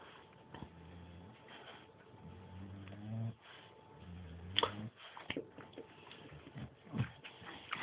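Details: Indoor play between two pet dogs, a bulldog and a Staff called Bruise and Winston; drawn-out low whines with rising harmonic tones repeat several times, followed by clicks and scuffles.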